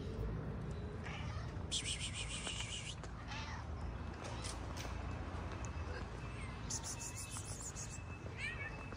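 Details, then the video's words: Stray cat on a street in Morocco keeping a calico cat from coming near him; two drawn-out, harsh, strained cries around two and seven seconds, with a person talking softly and steady low street hum. "A stray cat never wants a calico cat to come near him."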